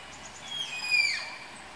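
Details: Malayan tapir during pairing in the tapir house at Tama Zoological Park: one thin, high whistled squeal, held briefly and then sliding downward, with faint overtones above and a quiet background.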